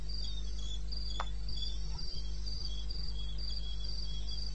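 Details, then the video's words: Wild crickets in the eastern Botswana wilderness, 02:30 on 21 May 16. High, rhythmic chirps repeat several times a second in two interleaved pitches, over a steady low hum and one sharp click. "1 Hour cricket sound"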